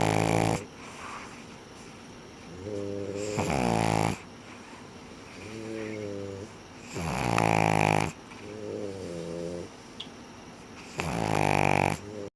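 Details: Sara and Ran, two dogs, snore steadily. Buzzy, tonal snores with stacked overtones alternate with strong, breathy rasping breaths roughly every two to four seconds, and nothing else is heard.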